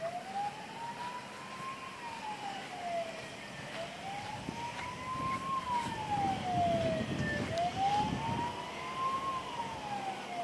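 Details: An emergency-vehicle siren wails, rising and falling slowly about every three to four seconds over steady traffic rumble, with no animal voice heard.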